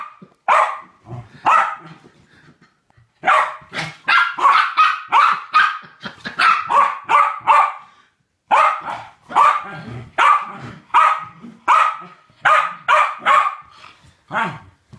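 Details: Two West Highland White Terriers playing together, barking excitedly in long rapid runs of bright yappy barks, about seventy-eight a minute, separated by short pauses, with faint growling in between.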